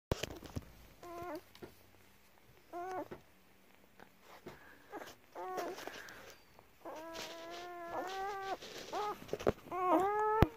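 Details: German Shepherd puppies nursing on their mother's milk indoors; short harmonic whining squeals rise and fall in scattered bursts, growing longer and more frequent toward the end, with soft shuffling between cries.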